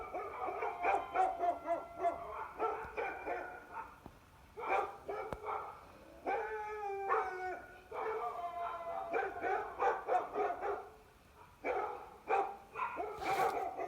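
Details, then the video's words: A Shiba Inu puppy responds to strange noises with an almost continuous stream of high yips and barks, some drawn into wavering whiny tones, with brief pauses around four and twelve seconds. "My Shiba Inu Puppy Reacts To Weird Noises!"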